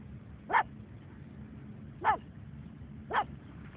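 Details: Pug on the beach, giving three short sharp barks spaced about a second or more apart, over a steady low rumble of background noise.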